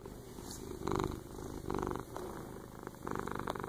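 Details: A domestic cat purrs steadily while snuggling with its owner, a low rumbling vibration that swells and fades with each breath.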